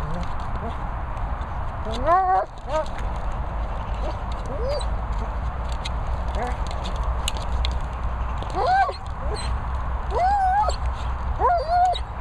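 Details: German Shepherd Roxy whimpering: a few high, arched, tonal whines with harmonics, in short bursts near the start and again in a cluster toward the end, over steady low rumbling background noise.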